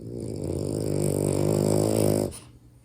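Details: French Bulldog puppy, a pet, sleeping and snoring loudly indoors; one long, harmonic, rasping snore lasting about two seconds, then cutting off abruptly into quiet room noise.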